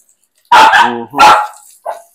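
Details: Filipino native dog (Aspin) at bath time, giving two sharp, loud barks about three-quarters of a second apart, the first running into a short whining tone, with a faint yip at the end.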